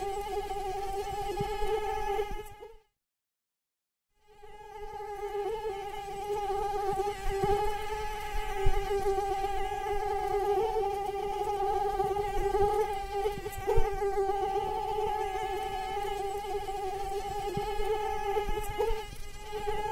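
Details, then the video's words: Mosquito in flight: a steady, thin whining hum with a strong buzzing overtone stack that wavers slightly in pitch. It breaks off into a short silence near the three-second mark, then resumes and continues unbroken to the end. "Mosquitoes Sound Effect"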